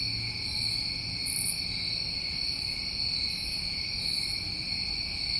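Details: New England summertime crickets at night: continuous shrill trilling held on two stacked pitches, joined by soft, very high rasping bursts that come and go roughly once a second over a quiet low rumble.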